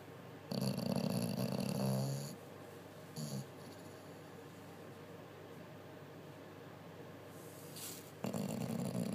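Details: Bulldog sleeping loudly and dreaming after a busy day, indoors: a long, rasping, low snore lasting nearly two seconds, a brief softer snort near three seconds, then quiet breathing before another loud harsh snore begins at the end.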